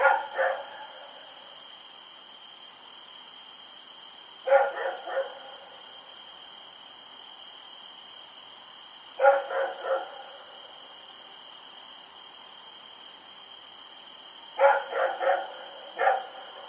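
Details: Rex, a dog running around at night, recorded October 7, 2018: bursts of two to four sharp harmonic barks roughly every five seconds, with a steady high electrical whine throughout.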